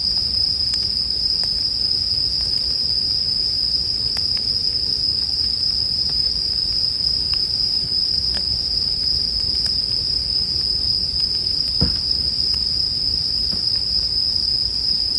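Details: Bell cricket song paired with a crackling campfire for sleep music: a steady, unbroken high ringing tone runs the whole time, while scattered sharp pops and snaps of burning wood sound over a soft low rumble.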